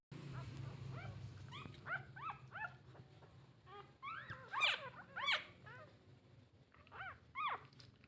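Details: Puppies in a litter of nine begging their mother for milk: many short, arched, squeaky whimpers in quick irregular bursts, several overlapping, with a low hum underneath.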